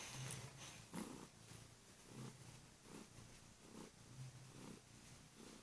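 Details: Female Kurilian Bobtail cat on a bed in the morning, waking her owner with loud purring while gently nibbling his hands; deep rhythmic purr pulsing about twice a second, each breath a low throbbing burst, with soft rustling.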